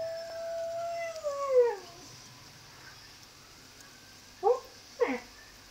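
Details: Alaskan Malamute howling: a long, smooth, wavering howl that holds steady, then slides downward and fades after about two seconds, followed by two short, sharp yelping barks near the end.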